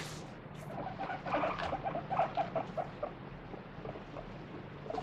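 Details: Guinea pig protesting with screams while being rubbed clean in a body check; a burst of rapid, choppy squeaks peaks midway and then fades, with rustling from handling at the start and end.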